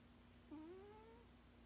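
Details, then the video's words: A 16-year-old male cat asleep indoors makes a single soft humming moan that slides upward and fades, about seven tenths of a second long, against a steady low electrical hum. "Does your kitty snore??"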